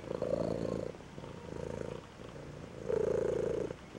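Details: Dissatisfied two-week-old Maine Coon kitten at a Saint Petersburg, Russia cattery: two loud, low, rasping purr-like bursts separated by quieter rumbling.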